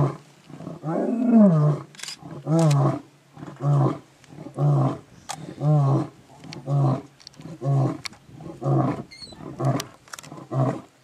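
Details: Lion calling, a deep rising moan followed by a series of short, heavy grunting roars repeated about once a second, gradually spacing out and fading.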